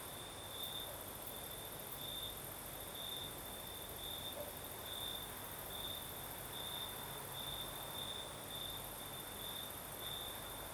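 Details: Singing crickets on a Crimean night in the south, with a light night breeze. A high, steady trill beats in regular bright pulses roughly every half second to a second, layered over a constant thin high hiss and mild wind rumble.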